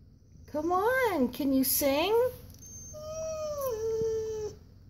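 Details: Siberian Husky Koa vocalising indoors, eager for a walk: quick rising-and-falling wavering whine-howls, then a longer level tone easing downward, with human talk mixed in.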